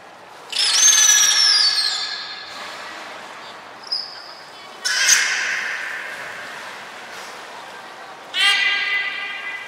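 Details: Captive belugas Hodoi, Taanya and Mirai at Port of Nagoya Public Aquarium, Japan, 23 February 2021, during pool transfer and training: a high descending whistle with layered harmonics, then shorter broadband squeaky bursts, echoing in a large indoor hall.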